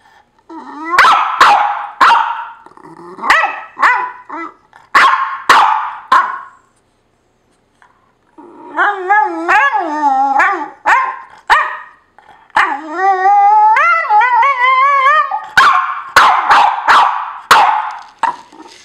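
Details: A pet dog complaining, probably because another dog is sleeping in his spot. Sharp barks come in loose bursts, then long wavering moaning howls rise and fall between 8 and 15 seconds, followed by more quick barks.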